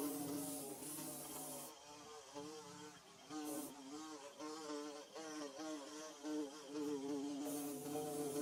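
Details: Bees buzzing while building a hive, recorded in Mizoram's Mizo language setting; a steady droning hum with wavering harmonics, rising and falling in loudness, with brief bursts of higher hiss.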